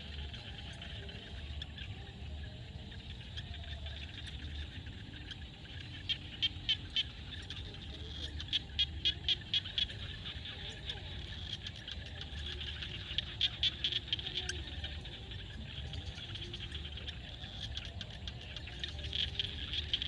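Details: Sunset field chorus in Cambodia: several separate bursts of quick, rattling clicks from frogs, each lasting about a second, over a continuous high hum and soft low rumble.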